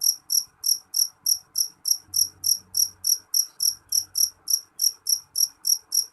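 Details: Strident jeliteng cricket song: regular, sharp, high chirps pulsing about three times each second without pause, with only a faint low murmur behind.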